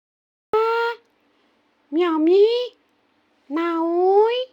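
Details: Female kitten that wants to sleep and not be disturbed, meowing indoors: three clear meows, the first short and steady, the next two longer and rising in pitch, spaced about one and a half seconds apart.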